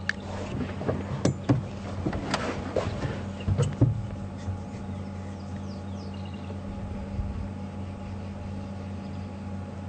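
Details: Low steady engine rumble with some knocks and clatter early on, and no animal calls to be heard.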